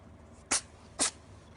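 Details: Milk, a Ragdoll cat, sneezing before turning affectionate: two sharp, hissing little sneezes half a second apart in a quiet room, just after someone calls her name.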